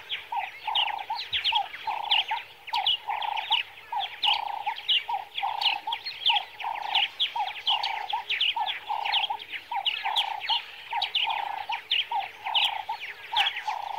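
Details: Meerkat giving a steady series of short, sharp chirps, about two per second for the whole stretch, each note bright and mid-pitched with thin higher overtones; no other clear sounds.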